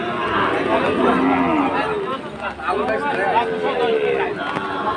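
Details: Sahiwal bull bought by a Chittagong farmer in the rain on the second day of Eid; low bellowing moos, one long and sliding near the end, partly masked by chatter, voices and steady rain-like noise.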